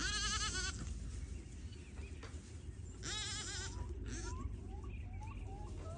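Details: Baby Pygmy goats dancing at a farm raising registered Pygmy goats in Knoxville, Tennessee, USA. Two loud, wavering, tremulous bleats sound at the start and near three seconds, with fainter bleats later, over a steady low rumbling background.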